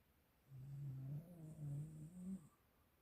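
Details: Snoring from a sleeping Siberian Husky, a deep humming rattle in three joined pulses over two seconds, each breath a steady low buzz, the last rising a little in pitch, then quiet.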